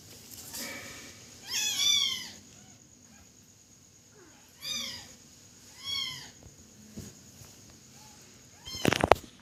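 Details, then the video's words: Kitten giving a few falling meows spaced apart, softer and partly masked by background hiss, ending with a sharp knocking noise. "Cute Baby Cat Cries...."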